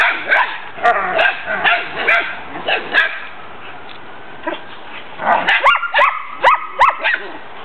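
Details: Backyard romp of collies Tesla, Braedyn and vocal Tennyson with a litter of puppies, adults wrestling. Scattered yelping barks at first, a quiet lull, then a run of sharp, rising yips repeated about twice a second.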